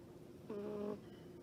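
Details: Domestic cat snoring while asleep: a single short, nasal, tonal breath lasting about half a second, steady in pitch with clear overtones, then quiet room hum.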